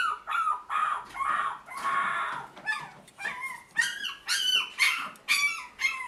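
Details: Toy Poodle puppies for sale in Tokyo, yelping and whining in quick irregular bursts, high-pitched and bending in pitch, with a broad noisy rustle in the middle.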